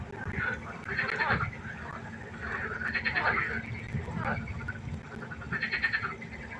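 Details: Frogs calling at night by a pond: overlapping rattling, pulsed croaks in bursts about every one to two seconds, with a steady low hum underneath.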